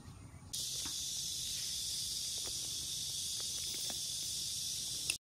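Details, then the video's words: Cicada singing: a steady, loud, high buzzing drone that starts abruptly after half a second and holds unbroken for nearly five seconds, with faint low rumble and a few soft clicks beneath. "이제 듣기 힘든 매미소리"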